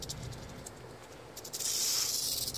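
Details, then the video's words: Rattlesnake in the Everglades, one of a pair being handled, phone recording: scattered clicks and rustles, then a loud, sustained high-pitched buzzing rattle starts abruptly and runs for the final second. "Serpiente Cascabel rattlesnake"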